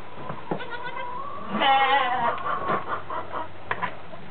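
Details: Goat bleating around newborn twin kids, born that day, healthy and mobile, with a large mother goat close by. One wavering, harmonic-rich bleat lasts about half a second, followed by softer rustling and handling noises.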